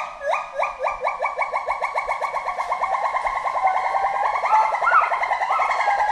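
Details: Forest monkey giving a fast series of rising whooped notes, about two or three per second, gradually climbing in pitch and loudness, with a faint second voice toward the end.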